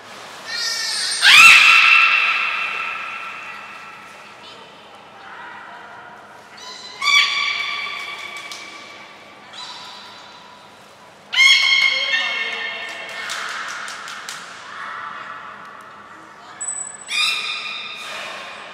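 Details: Belugas Gray, Nana and Mirai in a training session at Port of Nagoya Public Aquarium, 7 June 2022. A series of harmonic squawks and nasal bleats is spaced several seconds apart, each ringing out in an echoing room, with faint background voices.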